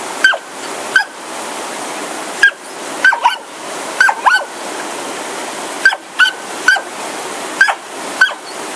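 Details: Two Smooth Fox Terriers, Oscar and Lucy, going crazy before a roaring Sonoma waterfall; repeated shrill yelps and yips, often doubled, burst out roughly every second against constant loud water noise.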